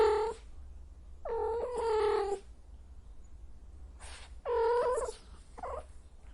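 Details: Cat in heat producing drawn-out nasal yowls, rich in harmonics, one brief cry then a sustained wail, a pause, and another mid-pitched moan trailing into softer sounds, over faint low hum.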